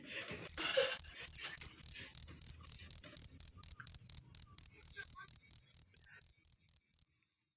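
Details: Loud, clear cricket chirps used as a natural rat repellent and to calm stressed birds: a burst of noise opens, then a steady train of shrill pulses, roughly four each second, fading slightly before stopping at seven seconds.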